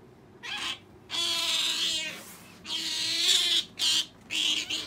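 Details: Female pet otter begging for jerky, giving long, high, wavering squeals with a whiny, harmonic tone. The squeals come in four or five drawn-out bursts separated by brief pauses.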